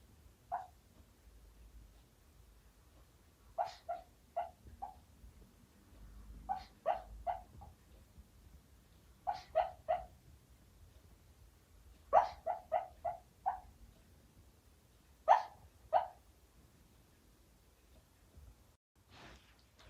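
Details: Puppy having a nightmare while asleep in broad daylight, letting out short muffled whimpering yips in clusters of two to four. The clusters come irregularly, about 19 a minute. Quiet breathing and a low room hum fill the gaps.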